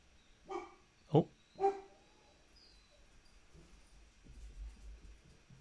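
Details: Domestic dogs give three sharp, harmonic barks in quick succession after hearing someone outside, then stop on their own and run to the door.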